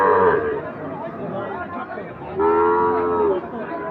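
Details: Sahiwal bull calves at the Ambari cattle market, open Fridays and Mondays; a moo opens, then a second steady, level moo lasting about a second rises over haggling voices and crowd noise.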